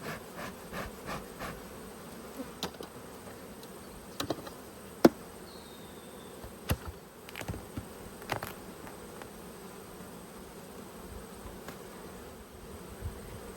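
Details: Cross honey bees from an orange hive being opened and smoked at the entrance during an inspection in March 2022; steady humming drone throughout, punctuated by scattered sharp clicks and knocks from handling the hive.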